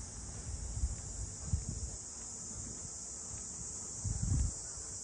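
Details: Cicadas droning around the Ine no Funaya port houses north of Kyoto, Japan, heard while walking; a continuous high, hissing buzz runs throughout, over soft footsteps and low thuds.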